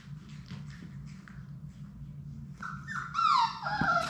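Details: Labrador Retriever puppies, part of Sadie's litter of six, playing in their indoor play room; quiet hum and shuffling, then from midway a burst of high, wavering whines and yelps sliding downward, overlapping one another, over a steady low background hum.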